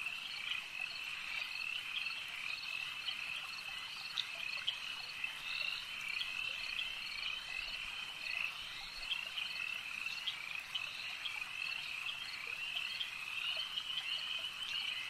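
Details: Lakeside frog chorus, continuous and high-pitched, many callers blending into a constant shrill hum over fifteen seconds with small flickers of separate calls, no other sounds clear.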